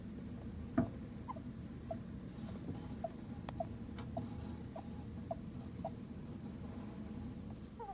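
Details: A Djungarian hamster, one of two pets that squeak oddly in sleep (owner wonders if sleep-talking), gives faint, short squeaks about every half second over a low hum.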